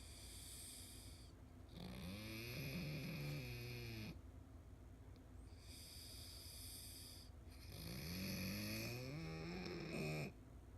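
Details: Old pug needing care, asleep with eyes wide open, snoring in two long rasping bouts; each snore is a buzzy, wavering drone with stacked tones that bend up and down, separated by quiet pauses, indoors.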